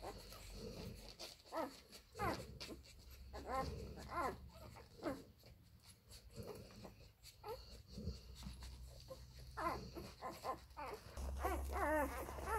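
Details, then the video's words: Nursing Labrador Retriever puppies from the F litter at mother Molly's teats, including little Toni; irregular soft squeaks and whines, about one or two per second, with low rumbling handling noise. "Die Welpen an Mollys Milchbar."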